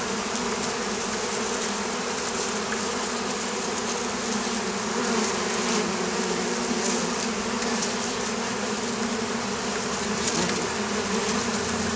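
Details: Oriental hornets (Vespa orientalis) in Campania, Italy, a pest of beekeepers on the Campanian plain. A dense, steady droning buzz from many insects, with a low hum band running unbroken throughout.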